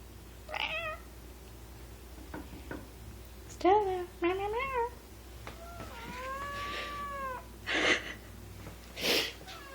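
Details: Two female house cats vocalise in displeasure at a new kitten indoors, its owner saying "no growl growl"; short harmonic yowls come in a cluster, then one long arching wail, mixed with a woman's talking and background rustling.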